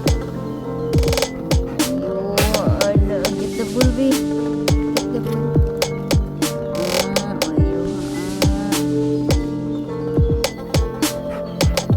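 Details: Electronic dance music with heavy drum hits and sustained synth tones runs throughout, without animal sounds.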